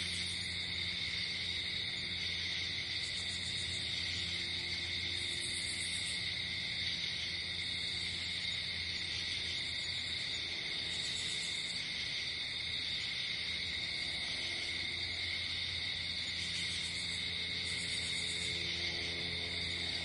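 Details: Crickets calling through the night in nature, a dense continuous high-pitched trilling chorus with recurring short buzzing bursts every few seconds and a low steady drone beneath.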